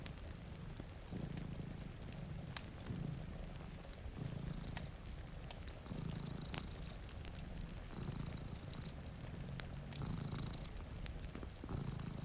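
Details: Two cats asleep by a rain-streaked window purr steadily, the deep rumble pulsing in regular waves roughly every one and a half to two seconds, beneath soft rain patter and sharp crackles from a fire.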